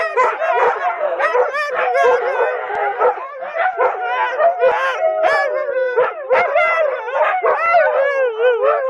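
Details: A group of loud watch dogs howls in chorus, the voices wavering and sliding up and down over one another, broken by frequent sharp yips and barks.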